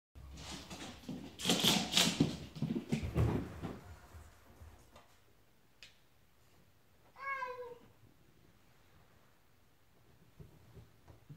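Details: Indoors, a Ragdoll cat with the "zoomies" runs around the house, with bursts of thumping and scuffling followed by a single clear meow falling in pitch.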